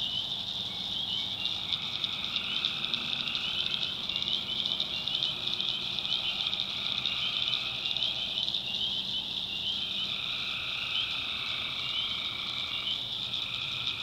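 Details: Tree frogs at night, backwoods swamp in North Carolina, form a thick calling chorus; rattling trills rise and fade in staggered waves of a few seconds while a constant high, cricket-like whine fills the background.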